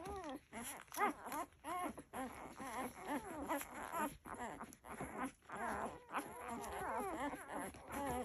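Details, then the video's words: Several Labrador Retriever puppies making sweet little noises while nursing: a busy, overlapping run of short high squeaks, whines and grunts, broken by brief pauses. "Cute Labrador puppy noises!"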